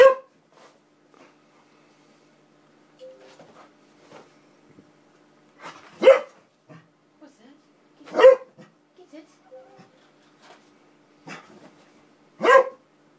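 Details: Excited pet Springer Spaniel reacting indoors to an Xbox disc tray opening and closing; sharp single barks spaced a couple of seconds apart, with quiet huffs and whines between and a man telling it to shush.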